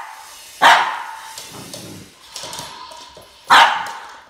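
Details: Max, a Boston Terrier, facing off with a snake, gives two abrupt, forceful barks roughly three seconds apart, with quieter snuffling and movement sounds in the gap between them.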